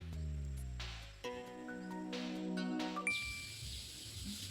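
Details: A short tinkling music jingle with chime-like tones ends in soft outdoor background noise, and no animal is heard.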